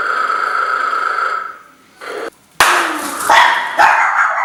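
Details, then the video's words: Chihuahuas Jacques, Isabelle and Rachelle at play against a snoring bear: a steady tonal hum fades out, a short quiet gap follows, then a burst of three shrill, rough barks in quick succession. "Chihuahua vs snoring bear"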